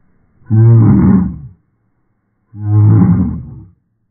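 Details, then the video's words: Eva, a pet dachshund, 'sings' her 'av-av-av': two long, low, drawn-out groaning vocalizations, each lasting about a second and separated by a short silence. No other sounds are heard. "Мышь поёт "ав-ав-ав""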